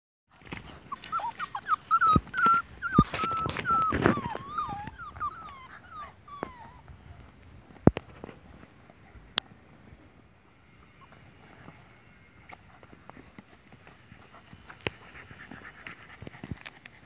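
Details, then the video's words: Puppies from a litter playing together indoors: high, wavering whimpers and whines in quick runs over the first seven seconds, with scattered clicks, thumps and scuffling afterwards. "Litter E puppy playground"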